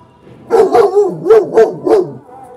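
A German Shepherd gives a quick run of deep, harsh, aggressive barks.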